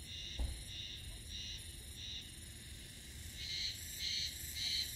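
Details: A Japanese spring cicada sings in Mihama, Fukui, Japan, on 7 May at 11:05. Its pulsing, buzzy phrase repeats about once a second and grows louder.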